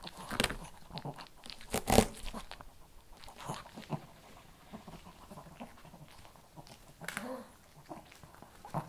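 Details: Kibble crunched by a Shih Tzu, with sharp, irregular crunches that are strongest early and again near seven seconds. Softer clicks of mastication fall in between.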